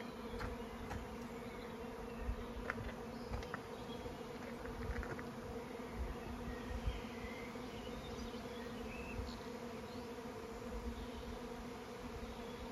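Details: Honeybees swarming for the first time this season, ahead of the first of May, over a regenerative farm in County Kilkenny, Ireland; an even, deep hum persists, broken by scattered clicks and faint distant bird calls.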